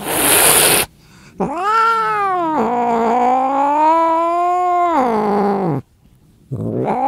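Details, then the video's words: Angry cat's long wavering yowl, arching up and dipping, lasting about four seconds, preceded by a short loud hiss-like noise burst and followed by the start of another rising cry. "Cat Meow Sound effect"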